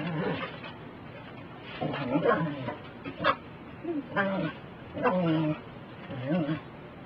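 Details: A Pembroke Welsh Corgi gives short, gruff barks and growly yaps in bursts every second or so, barking at a broom to try to stop the sweeping.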